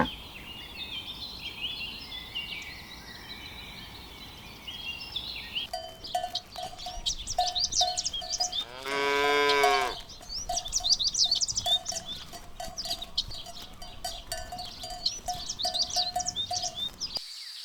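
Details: A cow grazing in green rice fields in the Vietnamese countryside gives a single short, full-throated moo among busy chirping birds and wind.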